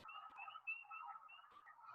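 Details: At a vernal pool in North Coventry Township, Chester County, Pennsylvania, in spring, wood frogs give low, rattling click-clucks in a dense chorus, outnumbered by high, piping spring peepers.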